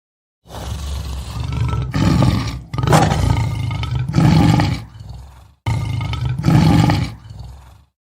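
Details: Lion: a sequence of deep, rumbling roars and grunts, several loud bursts over about seven seconds with short pauses, heavy low-pitched energy throughout.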